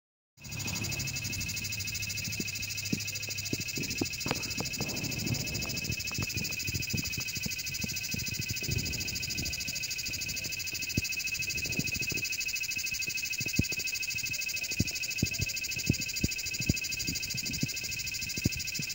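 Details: Cicada singing: a steady, loud, high buzzing drone with a fine rapid pulsing texture that holds unbroken throughout, over scattered low knocks and thumps.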